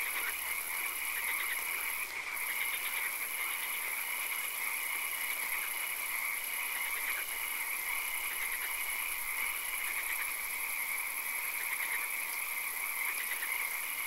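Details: Night chorus of frogs in a swamp where rain falls now and then; rapid rattling croak series repeat and overlap throughout, backed by an unbroken high whine and faint hiss.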